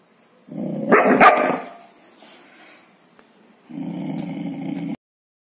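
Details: Golden Retriever, male, growls while guarding his bone for the first time: a harsh, loud snarl, then a steady low rumble.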